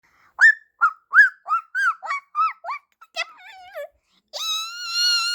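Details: A puppy answering gives a quick run of short, rising, whistly yelps, roughly two per second, then breaks into a sustained, slightly wavering high howl.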